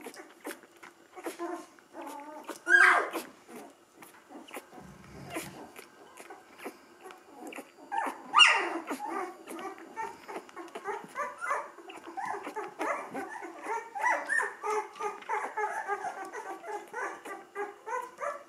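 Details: Ten-day-old Gordon setter puppies from a litter, one named Findus with eyes just opened, give high squeaky whines, with loud cries near three and eight seconds, then a steady run of soft squeaks and murmurs, with some quiet talking.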